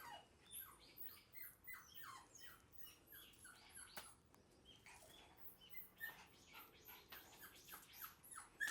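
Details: Black female Shiba Inu puppy, bred for show, gives a busy run of high, thin squeaking whimpers, many short downward-sliding cries packed close together, rising in bursts, with faint soft patter and indoor room sound.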